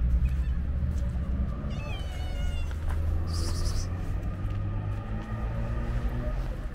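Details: A hungry calico stray cat waiting in front of a market, giving a short wavering meow over loud steady low traffic rumble, with a brief high hiss partway through.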